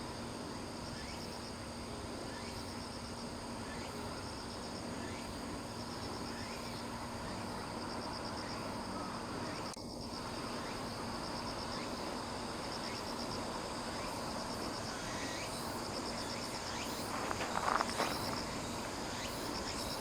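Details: Cicadas calling on a hillside in Sakurazawa, Yorii, Saitama, Japan, at about 170 m elevation, 15 September 2025. Steady stream of high, buzzy pulse bursts about once per second, with a brief knock midway and a short rustle near the end.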